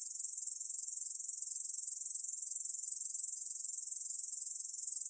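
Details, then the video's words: Steady, shrill rasping trill from a Korean bush cricket, rapid pulses running without pause at even strength; recorded by the National Institute of Biological Resources in 2020. "중베짱이, 여러번 듣기, 곤충소리"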